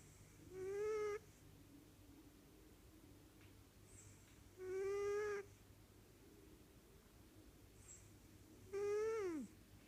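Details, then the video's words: Pet cat snoring indoors, each breath carrying a thin whistled tone that rises slightly and then drops away. The tone comes back about every four seconds in a steady sleeping rhythm, with faint soft breathing between. "My cat snores"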